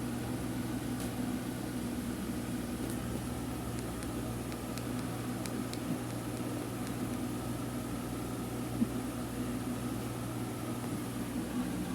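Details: A steady mechanical hum like a fan or microwave runs indoors, with faint ticks and clicks and no animal sound.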